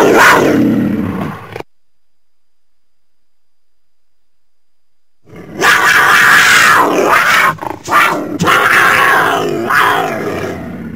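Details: Mountain lion (cougar) letting out a harsh breathy snarl, then after a few silent seconds a longer run of raspy broadband hissing and spitting with short choppy breaks.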